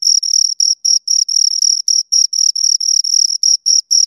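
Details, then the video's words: Two crickets chirping close by, a high, pure trill broken into short pulses about four per second, steady and unbroken, with a faint upper overtone and no other sounds. "Two Crickets Chirp Sounds"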